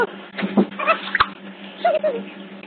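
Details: Otter pups at Hertfordshire Zoo, picked up by hidden CCTV cameras: short squeaky chirps and small rising-falling whistles come in scattered bursts, over a steady low electrical hum.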